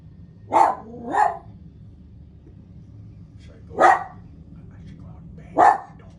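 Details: BMO, a pet dog, gives two quick barks, then single sharp barks spaced about two seconds apart, with a faint low hum between them.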